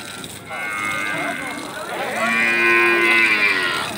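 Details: Bali cattle in the Beringkit market at Mengwi, Bali: a short lowing note is followed by a long, loud, strongly harmonic moo that swells and holds, with faint market noise behind.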